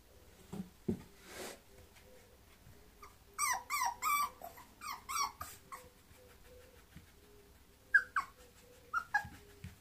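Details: Bulloxer mixed-breed dog making a run of high, quick whimpers and yelps with a bright squeaky tone. They come in bunched bursts of four to six, with soft breathing and small indoor noises between them.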